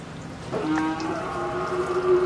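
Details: Pakistani Sahiwal bull about 24 months old with two teeth, from Pabna, Bangladesh, raised for the 2022 Qurbani. A drawn-out, steady, harmonic moo begins after half a second and holds for nearly two seconds with a slight upward lift, over faint background hiss.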